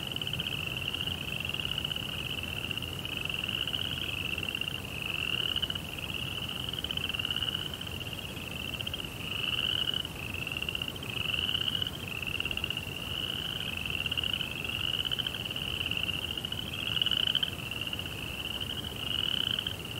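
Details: Crickets at night: a steady, rapidly pulsed high trill that runs in overlapping phrases of a few seconds each, shifting slightly in pitch. A faint lower hum underlies it, with no music.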